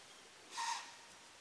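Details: A white-tailed deer in Florida giving a warning snort to alert other deer to possible danger: one brief, breathy, whistle-like blast lasting about a third of a second, faint against quiet background hiss.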